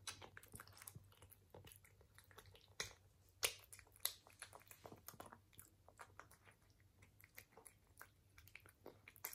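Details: Crunchy feeding by a British Shorthair cat indoors, ASMR recording: crisp, fast chewing crackles with several loud sharp bites near the start and middle, steady faint hum underneath.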